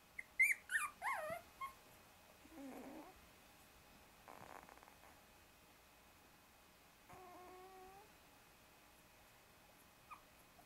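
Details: Shiba Inu puppies at 24 days old, a brother trying to wriggle free from under two sisters: a few sharp high yelps at the start, then scattered softer whines and one drawn-out wavering cry amid quiet rustling.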